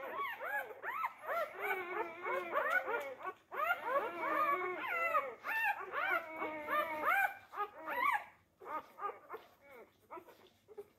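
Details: Labrador Retriever puppies, four days old, jostling for teats: dense overlapping high whines and squeals with arched, harmonic-rich contours, several pups calling at once in bursts, then quieter scattered squeaks toward the end.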